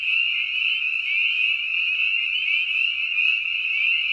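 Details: Frog. A frog's call rings out as one continuous, high, buzzy trill. It holds the same pitch and loudness throughout, with no pauses and no other sounds behind it.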